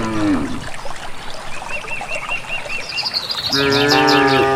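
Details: Cattle from a rural village on their way to a grassy valley: a short moo trailing off, a run of quick high bird chirps, then a loud sustained moo rising in at the end.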